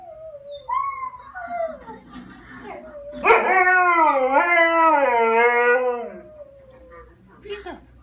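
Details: A Siberian husky cries in a long, wavering, whiny howl that rises and falls before fading, then is urged outside for a walk.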